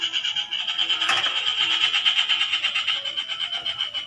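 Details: Frogs found while out searching: a dense, fast pulsed croaking, roughly three pulses per second, with a bright buzzy tone held steady throughout and a brief knock near the one-second mark.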